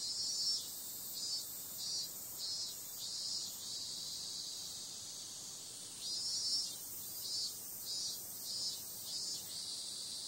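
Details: Night-time cicada chorus in summer: a constant shrill buzz overlaid by rhythmic louder pulses in short runs, a quieter stretch between, then another pulsing run.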